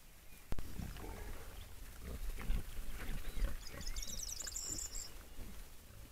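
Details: Wild boars giving short, deep grunts and snuffles in bursts, with high chirping bird calls in the background.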